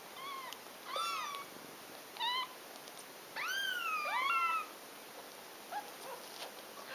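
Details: Nursing cat with kittens; a string of mews of varied length, short chirpy ones and a longer drawn-out wavering cry near the middle, followed by a few faint squeaks.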